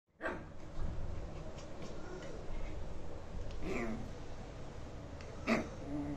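A Shih Tzu puppy gives a few short, high yapping barks over a steady low rumble.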